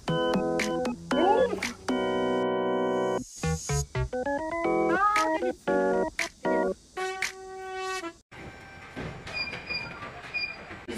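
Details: Choppy electronic keyboard and organ tones in short bursts, with brief speech and sound effects in between.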